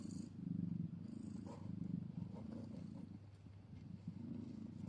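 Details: Mother cat beside her tiny newborn kitten, filmed minutes after the birth in old footage. A deep rhythmic purr pulses steadily, with brief faint higher squeaks and light movement noises.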